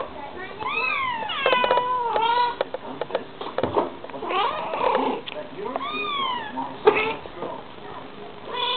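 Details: Bengal cat mother and her kitten trading calls back and forth: several drawn-out meows rising and then falling, a long flat wail, and short chirpy mews, with brief overlaps between the two cats indoors.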